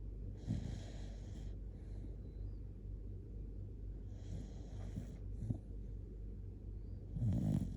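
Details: Sleeping Shiba Inu Kotetsu, cuddled up and very sleepy, gives loud snores: rough, rattling breaths with hissy bursts near the start, middle and end, and a constant low hum beneath.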